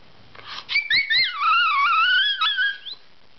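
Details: Puppy whining while begging for greens at home indoors: high, wavering whistled whimpers that slide up and down, with overlapping tones over about two seconds, in a small quiet room.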